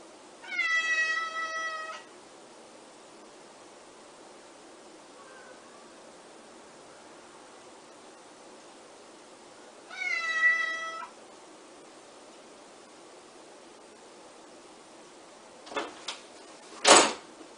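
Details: Bengal cat meowing indoors, two drawn-out harmonic meows about eight seconds apart, each roughly a second and a half long, followed near the end by a couple of sharp clicks or knocks.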